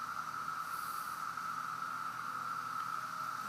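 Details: A 17-year periodical cicada chorus on July 8, 2013 in Fanwood, New Jersey: a steady, unbroken whirring drone on one pitch, unlike the annual cicadas.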